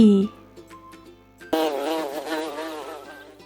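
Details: Bee buzzing: a steady, droning, wavering buzz that begins abruptly and lasts about two seconds, with faint background music before it.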